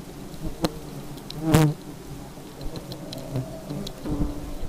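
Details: Low, steady buzzing of aggressive honey bees, with a loud brief thump-like burst at about one and a half seconds and scattered light clicks.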